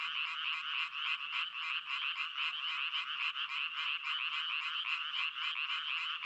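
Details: Frog crying heard as a thick wall of fast, rattling croaks pulsing several times a second, many voices layered together without a gap, steady in loudness throughout.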